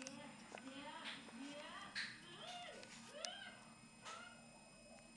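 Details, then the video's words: Ragdoll cat, newly arrived in its new home, giving several short arched meows that rise and fall, heard indoors in a small room alongside overlapping human voices. "Il mio ragdoll"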